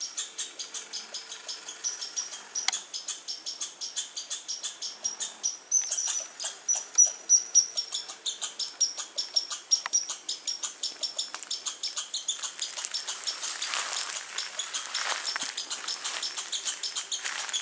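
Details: Squirrel calling on August 21, 2012, alongside birds: a steady run of sharp, high chips, getting louder and softer, with a thin whistled note partway through and a rough rustle near the end.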